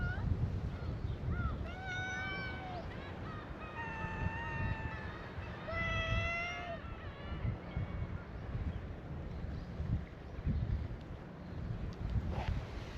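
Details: Stray cats at a Japanese cat-island gathering call to a visitor: a run of clear, level meows in the first seven seconds, one cat's voice stretched and steady, then only wind-like rumble and faint rustling.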